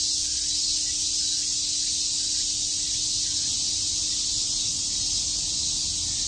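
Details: A continuous high, rasping drone of many cicadas chirping in Shakujii Park, Tokyo, in summer, holding a level intensity throughout.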